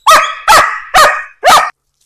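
A German Shepherd barks on command, a trained target bark aimed at an object. Four full-throated, harsh barks come in a steady rhythm, each short and evenly spaced, then silence.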